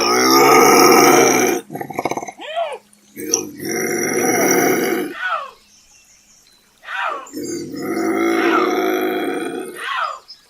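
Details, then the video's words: Bobcat giving loud, hoarse screaming wails, each about two seconds long, three main bursts separated by short gulping and hissing sounds and a near-silent gap. "Bobcat Scream Sound"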